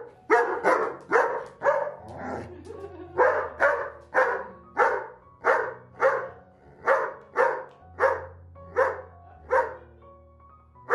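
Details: German Shepherd dog at home scolding its owner, angry that mealtime was announced but no food was brought; short harmonic barks and grumbles repeated about every 0.6 seconds, steady and insistent, over a faint low hum.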